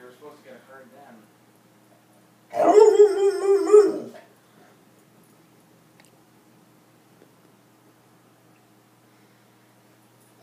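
An English springer spaniel gives a single wavering, yodel-like howl lasting just over a second.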